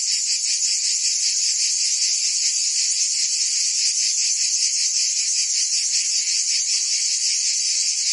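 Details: Provence summer chorus of cicadas in France, a continuous shrill buzz held at constant volume, finely pulsed underneath, with nothing else audible.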